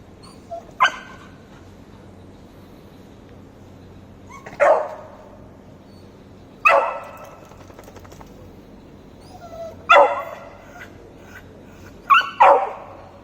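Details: Beagle puppy making different noises to gain a cat's attention: five separate short, sharp barks and yips spaced a few seconds apart, each a bright burst with a quick fall, in a quiet indoor setting.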